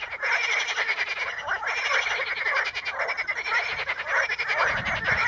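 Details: Frogs in the Ispani mires, calling from Potamogeton crispus pondweed, make a thick continuous chorus of fast pulsed croaks and rattles that blur together, with a soft low rumble near the end.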